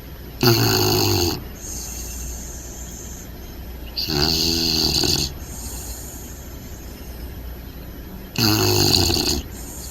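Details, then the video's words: Sleeping upside down, Bentley the Bulldog puppy gives three loud, deepening snores about four seconds apart, each a harsh rattling snort lasting around a second, with soft steady breathing in the pauses. "Bentley the Bulldog Puppy Snoring!"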